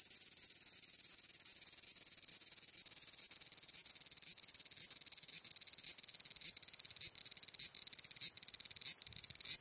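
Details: Large brown cicada singing, recorded on 14 July 2011: a dense, sizzling high-pitched buzz made of rapid pulses, with a louder accented burst roughly every half second or so, sustained throughout.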